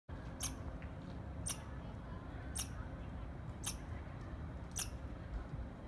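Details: Squirrel chirping: short, sharp broadband chirps repeated about every 1.1 seconds, five in a row, over a steady low rumbling background.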